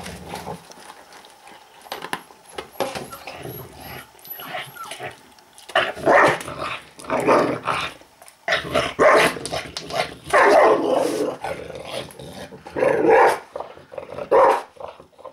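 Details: Angry dog snarling and growling while eating, loud rough bursts of growls and snapping barks arriving in clusters from about six seconds on, with chewing and scuffling noises between them.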